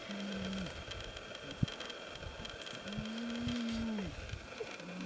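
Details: A grizzly bear cub with its mother on 11 August 2010, trying to convince her it is time to be fed, gives low, drawn-out moaning calls over a steady background hiss.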